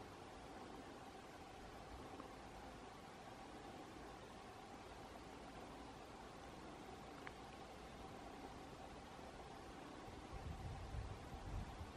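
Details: Steady broadband hiss with a faint low hum and one brief click; no animal voice is heard.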